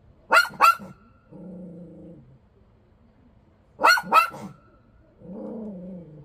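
A Bichon Frise gives two sharp, high barks followed by a low rumbling growl, twice over.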